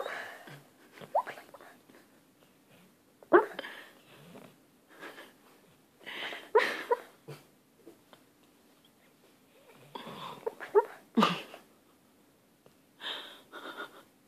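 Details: Pet dog asleep and dreaming, letting out irregular hiccup-like squeaks, snorts and soft whines spaced a second or two apart, with quiet breathing between bursts in a small room.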